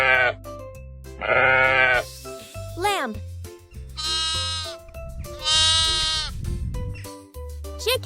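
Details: Sheep bleating in several loud, wavering, drawn-out calls, each lasting about a second, heard over cheerful children's music with a voice naming farm animals.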